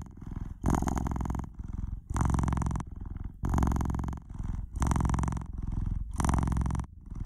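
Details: Noisy purr of a pet cat: a deep, steady rumbling vibration swelling and fading in regular breath-paced bursts, each about a second long, separated by brief quieter gaps.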